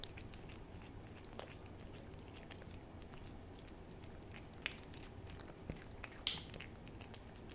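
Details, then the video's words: Hodu the cat licking and eating a Ciao Churu treat: quiet, irregular wet clicks and smacks over a steady low hum, with two sharper, brighter ticks near the end. "호두의 츄르 ASMR"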